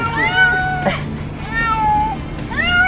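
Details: Upset domestic cats in a car heading to the vet; a long wavering meow followed by a falling drawn-out one and a rising call at the end, over low engine rumble.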